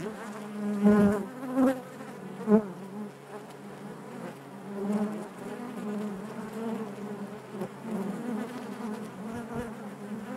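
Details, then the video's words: Honey bees humming in the hive, a thick low buzz with rich overtones; several close bees pass loudly in quick succession at the start before the drone evens out. "bees therapy hive natural buzzing sound"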